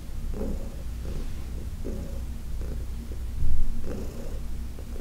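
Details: Purring from Heidi, an elderly female cat from the Humane Society of New York City, during a massage on August 4, 2021; a continuous deep drone broken by regular pulses with each breath, and one louder swell near the end.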